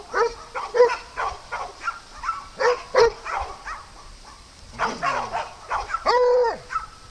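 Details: Farm dogs at playtime: high, tonal yips and whining yelps repeated irregularly, some with bending pitch, along with short barks and a faint steady background hum.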